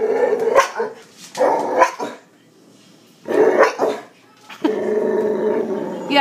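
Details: Boxer whose real bark sounds like hiccups after kennel cough as a pup: short, choppy barking bursts in uneven clusters, with a person talking between them.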